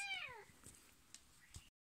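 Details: Domestic cat giving one short, bright meow that slides steadily downward in pitch, followed by faint taps and near silence.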